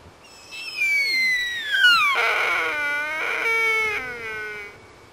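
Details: Wild sika deer on rutting grounds in Jægersborg Dyrehave, Denmark, one October afternoon in 2007: a loud, high whistle slides steeply downward over about two seconds, then breaks into harsh, strained braying notes in two long pulses that fade out.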